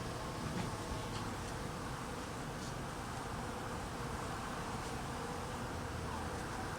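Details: Cold weather and hungry honey bees being fed: a steady, dense buzz of wings fills the recording, level and continuous from start to finish.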